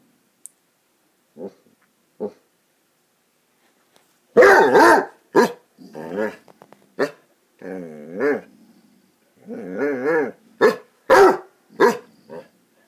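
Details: Playing Basset Hounds, more than one dog: a few faint yips first, then bursts of loud, deep barks mixed with wavering, moaning growl-howls and sharp yaps in quick succession.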